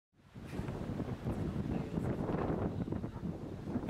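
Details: Steady wind buffets the microphone outdoors with a low rumble and a rustle of leaves; no animal call stands out.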